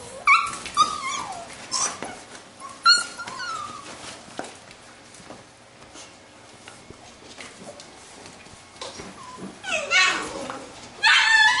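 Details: Playing Labrador retriever puppies of a B litter: a run of sharp, high yips and whiny squeals, several quick bursts early on, a quieter middle stretch, then more yelps at the end, with scuffling and thumps between them.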